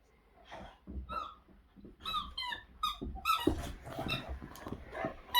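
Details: Zeta, a Boxer dog, plays hard with a squeaky toy in powerful jaws, 2021; repeated bright squeaks roughly every half second, with rough low grumbles and chomping underneath.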